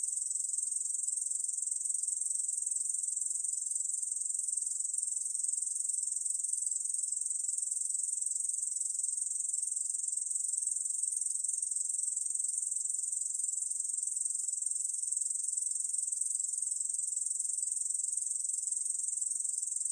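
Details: Ussur brown katydid singing in a 2020 National Institute of Biological Resources recording, an unbroken, shrill, sizzling buzz at steady loudness throughout, with no other sounds.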